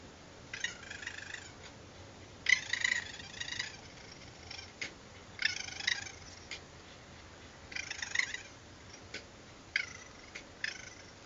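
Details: Raccoons vocalising at night, picked up by a security camera: repeated harsh, chattering bursts of squeals and trills, about six loud outbursts spaced one to two seconds apart over quiet background hiss.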